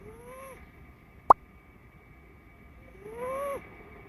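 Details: Blue point bicolor Ragdoll kitten snoring, its owner unsure whether the noise is abnormal: two thin whistled wheezes, each rising then dipping, about three seconds apart, with a single sharp click between them in a quiet room.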